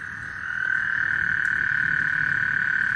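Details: Frogs chorusing on Lake Houston before a thunderstorm: a dense, steady, high trilling drone that swells in loudness after the first half second and carries on unbroken, over a low rumbling background.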